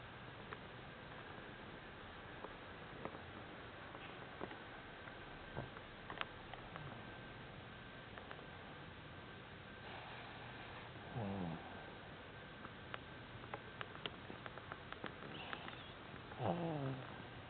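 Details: Bausch, a cat, snores while asleep in a striking posture. Two raspy, rising snoring breaths are heard several seconds apart, over soft ticking and tapping room noise.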